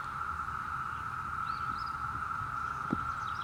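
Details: Countless Brood V cicadas, some perched on grass blades, keep up a smooth, unvarying buzzing drone in Ohio during June 2016, with faint bird notes and one soft click.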